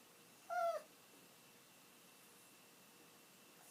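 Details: An elderly pet dog waiting indoors for its owner to come home lets out one clear, high, falling whine, then near silence before a brief rising whimper at the end.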